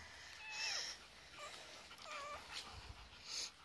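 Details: Three-week-old foster chihuahua puppies at play time alongside huskies: faint, thin whimpering squeaks, some curving up and down, scattered across a few seconds over a soft hiss of background noise.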